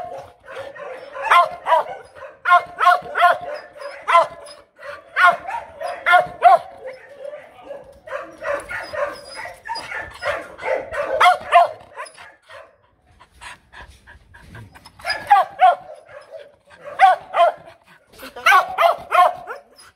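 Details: Female Mong Coc dog, brought from the highlands to a lowland kennel, giving a demanding, not aggressive, bark. Rapid volleys of sharp, mid-pitched barks, several per second, come in bursts separated by short pauses, with a longer quiet gap partway through.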